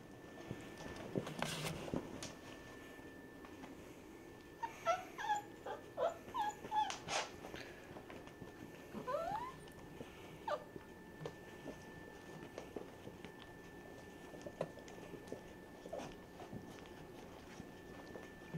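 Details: Basset Hounds at home as grandfather Noble meets Bullseye's puppies after she relaxes and lets him near; brief squeaky whimpers cluster mid-clip with faint scattered yelps and soft rustling over a steady low electrical hum.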